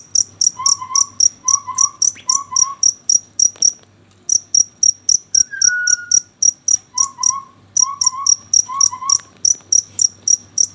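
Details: Cricket calling after dark with brisk, high-pitched chirps near four per second, pausing briefly twice; soft warbled notes from another animal and a short whistle occur between the pulse runs.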